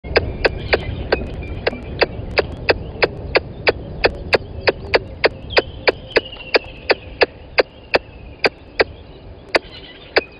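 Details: Squirrel calling right at the microphone of the Gowrie dam waterhole camera, Djuma Game Reserve, Sabi Sand Wildtuin, South Africa, 10:41 on 12/09/20. Sharp, dry clicking chucks about three per second, steady and loud, with faint bird whistles behind.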